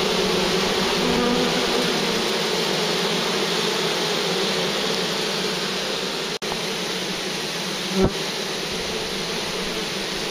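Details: Bees of a large, lively swarm near a farm, heard while the swarm is collected: a thick, unbroken buzzing drone, interrupted only by a short click and a soft thump near the end.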